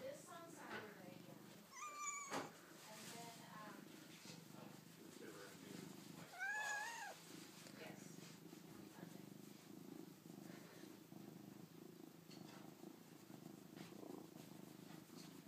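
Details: Callie Luna, a pet cat, gives two short, rising-then-falling harmonic meows near two and six and a half seconds, over a steady low purr-like rumble, with people talking nearby.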